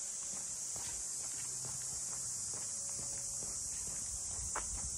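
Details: Cicadas in Ine no Funaya, the port townscape of traditional boathouses north of Kyoto, Japan: a dense, unbroken high-pitched shrill drone fills the air while footsteps tap along and faint low hums sit beneath.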